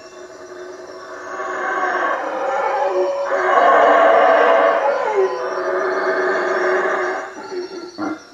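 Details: Nighttime chorus of howler monkeys in treetops by a hut on Lake Peten Itza, Guatemala: a long, swelling roar that builds to its loudest near the middle, dips briefly, surges again and then breaks into short grunts, over a faint insect drone.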